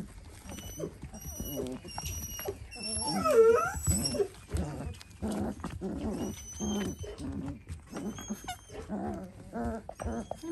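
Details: Four-week-old Dalmatian puppies squabbling, giving high squeaky whines and yelps, loudest in a wavering burst near the middle, with a woman's voice talking over them and high electronic tones in the background.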